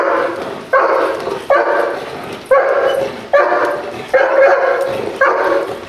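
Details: Protection-trained dog working under control in a training exercise, giving loud, harsh barks in a steady series, roughly one every 0.8 seconds, each bark sustained and slightly falling in loudness.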